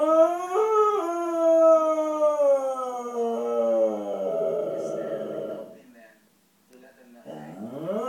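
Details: A Pembroke Welsh corgi watching The Dog Whisperer on TV gives a long, wavering howl that slides steadily downward into rough whines.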